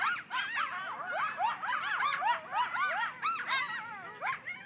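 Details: Group of Griffith Park coyotes in a frantic chorus of rapid, overlapping yips and wavering howls, dense and continuous, sounding as if something were being killed.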